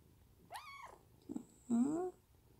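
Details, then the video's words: Munchkin kitten, indoors, meowing as its owner strokes it: a high arching meow, a soft low murmur, then a longer mewing call that rises steadily in pitch. The owner's voice is nearby. "집사 손길에 애옹애옹거리는 먼치킨아기고양이"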